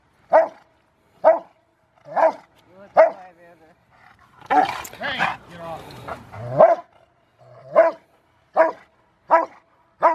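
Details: Rottweiler River v Schwarzerwald, age five, in bite training for a ZTP trial, January 20, 2020: rhythmic single barks open and close the recording, broken in the middle by a burst of human voice and scuffling noise.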